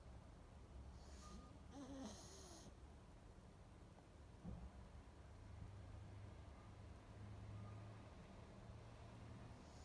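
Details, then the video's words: Pug asleep, breathing in a low snoring drone. A nasal wheezing whistle and airy hiss come near the two-second mark, then a short snort, before the rumbling breaths continue steadily. "Snoring Pug"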